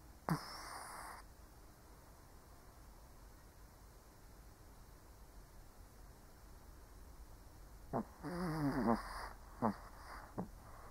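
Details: Sleeping elderly Shih Tzu: one short breathy snort early on, then after a long quiet stretch a cluster of wheezing, whistled snores with rattling nasal snorts close together near the end.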